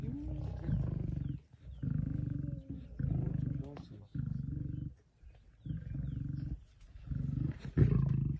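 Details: On a buffalo kill, 26 September 2023, a male lion among pride lions growls low and harsh in six pulses roughly a second apart, steady and rumbling throughout.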